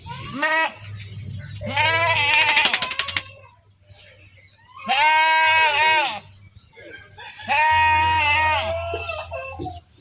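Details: Goats being herded, loud nasal wavering bleats in four long bursts about two seconds apart, with faint chirping in the background.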